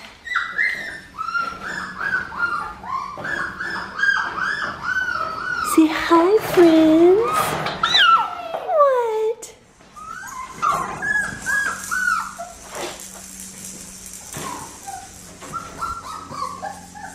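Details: A 4.5-week-old Red Merle female Australian Shepherd puppy, indoors at a kennel, gives runs of high, wavering whines and squeaky yelps in quick series, pausing while a woman talks to her in soft baby talk.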